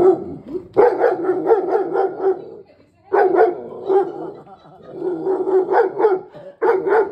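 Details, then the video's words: Angry female German Shepherd barking at a monkey. Harsh, rapid barks come in about four volleys separated by brief pauses, with a faint human voice nearby. "angry german shepherd"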